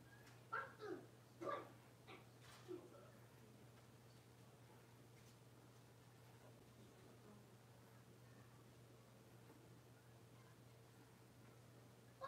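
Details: Blenheim Cavalier King Charles Spaniel puppies, six weeks old, in a home puppy pen: a few short high whimpering yelps in the first three seconds, then quiet room hum with a steady low drone.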